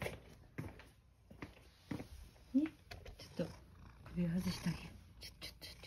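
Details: Male cat Sacchan, indoors just back from a walk in a countryside home: a short, low rising meow, then soft low murmuring cat sounds, with a woman's gentle speech and handling noises around it.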